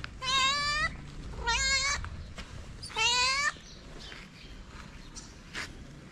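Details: Calico stray cat on a Moroccan street, asking for affection and food: three loud, harmonic meows, each under a second, about one per second and a half, then quieter street background with faint clicks.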